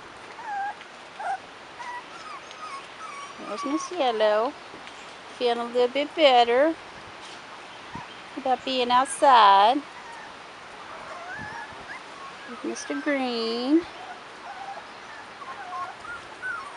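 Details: Rottweiler puppies, 4.5 weeks old, outdoors for the first time, giving bursts of high, arching whines and yelps that swoop up and fall back, several clustered together, in four main bouts over seventeen seconds, with quieter background noise between.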